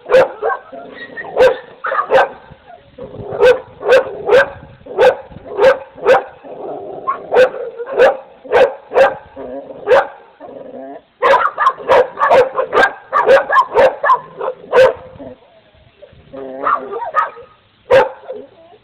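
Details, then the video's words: Several dogs bark continuously, sharp overlapping barks coming in rapid runs, with short whines and yips between them and barely any pause across the stretch. "Dogs barking"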